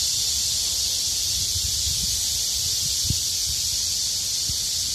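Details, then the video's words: Cicadas chorusing together in the midsummer heat: a dense, unbroken high-pitched buzzing hiss that holds steady throughout, with faint low rustles beneath. "무더위 식혀주려는 매미들의 합창"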